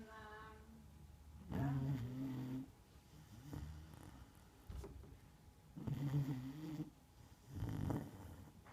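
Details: Margo, a Neapolitan Mastiff, asleep indoors, snoring in deep, low rumbling breaths, four drawn-out snores spaced a couple of seconds apart, with a brief faint higher tone at the very start.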